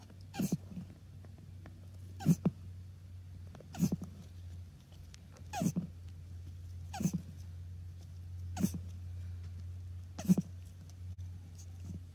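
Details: Male Russian tortoise mating with a female in spring; short, faint squeaky grunts repeated about every one and a half seconds over a steady low hum.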